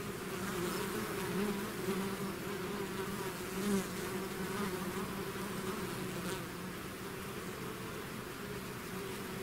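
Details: Natural buzzing of a bees swarm leaving its hive, a continuous low droning hum with brief brighter buzzes from single bees flying near the recorder, fading slightly toward the end.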